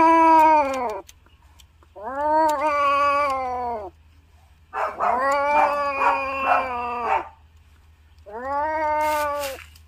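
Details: Siamese cat; mating yowl; mating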